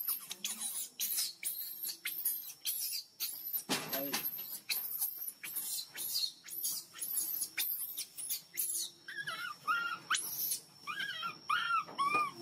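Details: Hungry baby monkey crying loudly for milk: harsh broadband screeching bursts repeated more than twice a second, then a run of short arched wailing notes toward the end, with a constant high whine behind.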